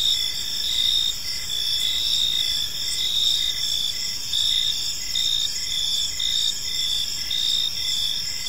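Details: Evening park crickets form a dense, shrill chorus, with short repeated chirps ticking along beneath continuous high trilling from several insects at once.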